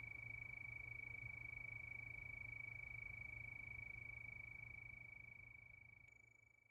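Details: Crickets calling under the night moon: a level, continuous high trill that fades out toward the end, ending with a brief sharp click, over a low hum.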